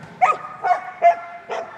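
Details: Border Collie, an agility champion, barking excitedly on the start line just before running an agility course at Crufts 2019; four short, sharp barks about every 0.4 seconds over a steady arena hum.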